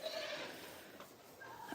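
A goat gives a short, wavering nasal bleat that fades quickly into a quiet background.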